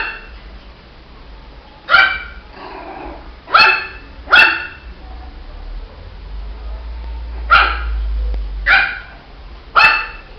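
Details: Shih Tzu puppy giving six short, bright yaps in irregular pairs and singles, gaps of up to three seconds between them, over a low rumbling background.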